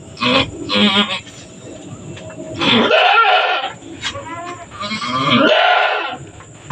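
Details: Female goat in labour on a small goat farm, which soon delivers two kids, calls in strained, quavering bleats, several overlapping and drawn out, each with a shaky, wobbling pitch.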